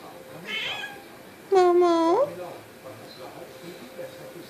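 A Turkish Van kitten gives one clear, steady meow that rises at the end, asking to be petted.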